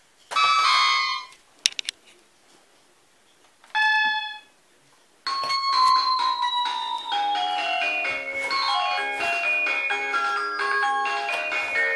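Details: A chiming doorbell rings twice, then keyboard music with descending notes plays indoors, and no animal is heard.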